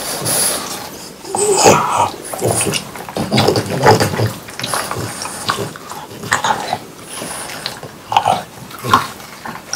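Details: French Bulldogs, three of them, munching watermelon in summer, recorded close up. Heavy, moist chomping and snuffly breaths come in clustered bursts, with a few sharper smacks between softer chewing.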